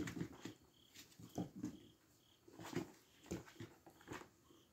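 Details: Tiny brown puppy named SHO, indoors in a small room, giving soft, short low whimpers and grunts in scattered bursts roughly every second, with faint rustling and handling noises between them.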